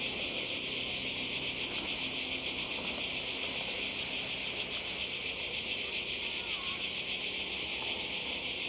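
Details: Croatian seaside cicadas recorded on a 2020 holiday keep up a loud, shimmering high-pitched drone with rapid regular pulsing. Faint low rumbles and a brief voice can be heard beneath it.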